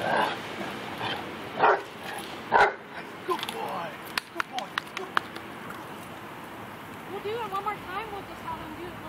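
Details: Labrador Retriever in protection training in Yorba Linda, California, learning to guard and bark: a run of short, sharp barks in the middle, mixed with people talking and steady background noise.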